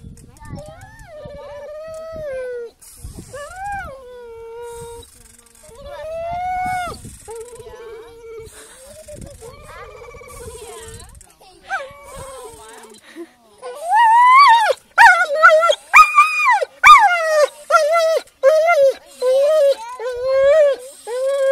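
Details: Whining dog producing a long series of drawn-out, wavering tonal whines, some rising and falling in pitch, growing louder and more rapid toward the end with short yelping bursts.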